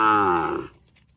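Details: Cow mooing, said to be calling its extended family: a loud, rich harmonic moo lasting about 0.7 seconds, steady then fading, with a quiet background afterwards.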